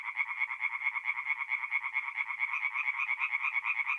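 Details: Singing tree frogs in a forest pond by night, mid-April in North-East Italy; rhythmic rasping croaks about twice per second rise and fall over a dense background chorus of other frogs.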